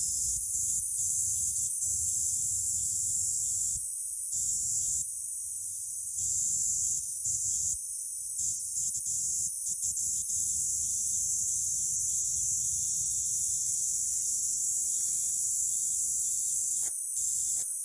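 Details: Kaempfer cicada, Platypleura kaempferi, singing in Saitama Prefecture, Japan, on July 22, 2022: a steady high-pitched buzzing drone, broken by brief gaps, with faint low background rumble.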